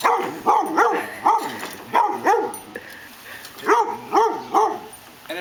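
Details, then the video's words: A female pet dog barks at an idle lawn mower she dislikes; clusters of two or three loud barks separated by short quiet gaps, with faint background noise. "My dog hates the lawn mower"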